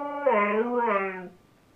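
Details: Siberian Husky crying while playing with a squeak toy: a single drawn-out, moaning vocal cry lasting just over a second, wavering down and then slightly up in pitch before breaking off, with quiet room noise after.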